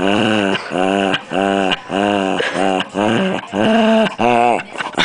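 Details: Pet puppy making odd noises while being played with: a series of short nasal whining-grunting calls with arched harmonics, about eight in five seconds, at uneven intervals.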